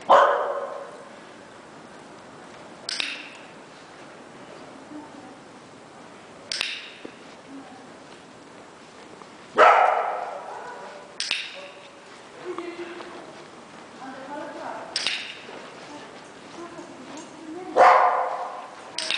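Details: Barking heard on a training walk with Kloi, a one-year-old dog being clicker-trained to stop barking at other dogs; sharp single barks repeat every few seconds over a quiet outdoor background, with faint clicks and voices.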